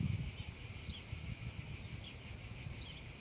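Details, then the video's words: Meadow cicadas on a hot summer afternoon keep up a continuous shrill buzzing chorus. A low rumbling, breezy noise sits underneath, and a few faint brief sliding chirps come through. "un caldo pomeriggio d'estate e le cicale"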